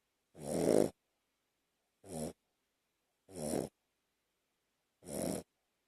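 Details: Sleeping Shih Tzu dog, two years old, lying on a person's chest, snores in short rough puffs: one longer snort followed by three shorter, softer bursts at about one-and-a-half-second intervals in a quiet room.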